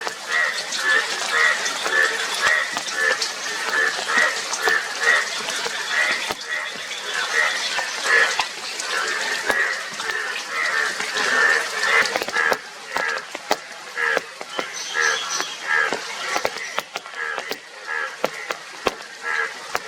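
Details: Indian yellow bullfrog, a yellow frog with blue cheeks, in a dense chorus of many callers: rapid, repeated nasal croaks of about two per second, layered over steady splashing, water-like hiss and sharp clicks.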